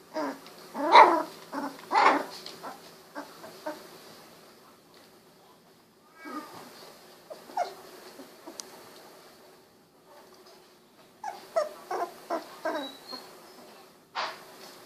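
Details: Very young Golden Retriever puppies, sixteen days old, wiggling and snuggling; bursts of high squeaks and short whimpers, a quieter stretch midway, then a rapid run of clipped squeals near the end.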